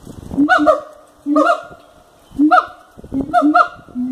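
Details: Siamangs calling at Cotswold Wildlife Park: loud hooting notes that rise and sweep upward, delivered in bursts roughly every second, with sharp barking edges between them.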